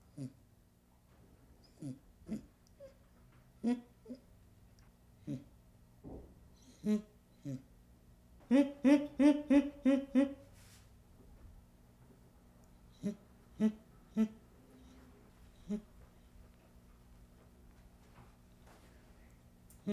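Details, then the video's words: Baby chimpanzee giving short, breathy grunts spaced irregularly, broken midway by a quick run of about six louder, rhythmic panting calls, then more scattered soft grunts in a quiet setting. "Baby Chimpanzee Sound"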